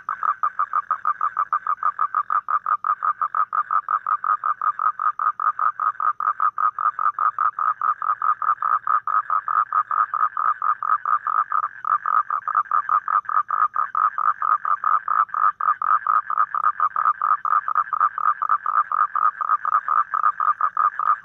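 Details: Toad calling in a long, steady pulsed trill. Rapid, evenly spaced notes repeat about four to five times per second without a break for over twenty seconds. The tone is a mid-pitched buzz, and no other clear sounds are heard.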